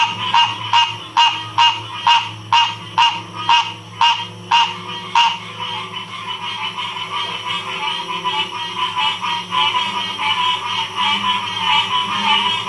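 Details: Frog chorus in Ocean Springs, Mississippi, 2016: a loud, regular series of sharp clicking calls, about two per second, for five seconds over a dense, steady trilling chorus, which then carries on alone with overlapping callers.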